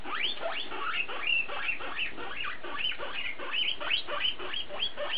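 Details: Guinea pig, mostly one named BooBoo, calling in a rapid stream of rising squeaky whistles and chirps, several notes each second, with upward-sweeping pitch and a constant low background hum.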